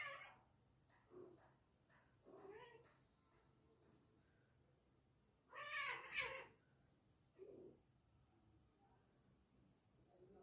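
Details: A cat meows in short, separate calls spread over ten seconds. The calls are rough and rising, one louder cry stands out in the middle, and the background is quiet.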